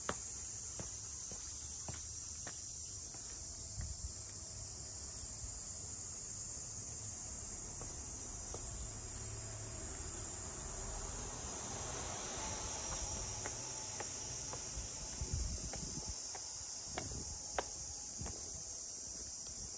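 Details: Cicadas in Ine no Funaya, the traditional port townscape of boathouses north of Kyoto, Japan: a steady, high, unbroken buzzing drone fills the whole stretch, with scattered clicks, footsteps from walking and a low background rumble.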